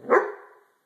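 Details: Single bark from a White German Shepherd Dog, agitated while being brushed after a shampoo; one sharp, full-bodied woof that fades over half a second, with no other sound.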